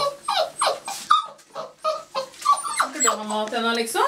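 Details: Six-week-old Labrador Retriever puppies, released from the house to eat, give a run of rapid, wavering whines that rise and fall roughly three times a second, ending in a longer sustained whine; a voice may be present.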